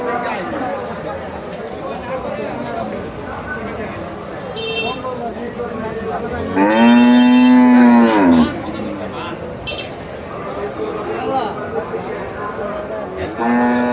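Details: Cattle at a crowded Saturday cattle market at Sarachar bazaar, thousands of animals gathered despite heavy rain; one long, loud, deep moo swells and holds for about two seconds midway, another begins at the end, over a steady din of crowd voices.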